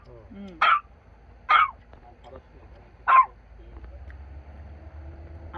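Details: Dog excited at a grave visit in Korea gives three short, sharp barks, the last after a longer pause, with people talking softly in the background outdoors.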